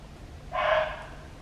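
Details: In a Hong Kong forest, a red muntjac (barking deer) gives one sharp, hoarse, dog-like bark of about half a second that ends abruptly, a call given when it suspects a predator nearby or during the breeding season.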